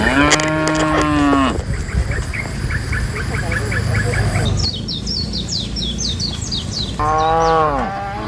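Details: Tame cows, part of a herd of dozens being driven by a herder from the forest to the pen: a long, low, droning moo opens, with small birds chirping rapidly in between, and a second shorter moo near the end.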